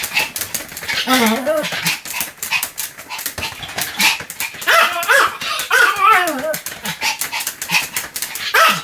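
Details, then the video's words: Pomeranian barking nonstop, 7 October 2015: dense rapid yaps and yips mixed with clicking and clattering noises throughout. "犬の鳴き声 ポメラニアン"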